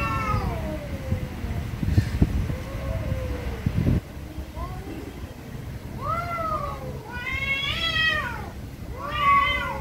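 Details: Angry cats meowing very loudly: a falling wail opens, then after a lull with low knocks and rumble, strained, arching meows build into harsh, drawn-out yowls near the end.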